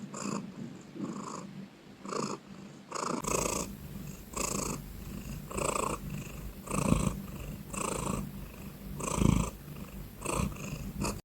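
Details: Domestic cat purring loudly and close, starting softer then swelling after a few seconds into strong, regular rumbling pulses about a second apart, with occasional deeper thumps.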